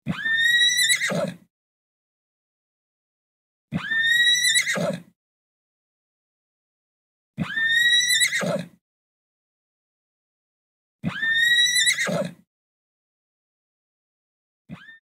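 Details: Horse (Equus caballus), whinny.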